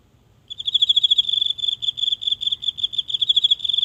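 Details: Lone garden insect heard at night in the grass, recorded close with a phone; after half a second of quiet a high, shrill pulsed trill begins and carries on steadily to the end.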